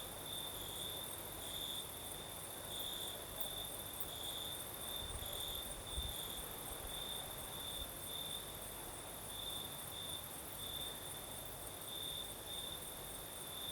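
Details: Southern Crimea after dark: crickets sing a sustained high chirping trill, pulses recurring roughly every half second, over a higher faint insect whine and soft breeze noise, with a couple of low bumps near the middle.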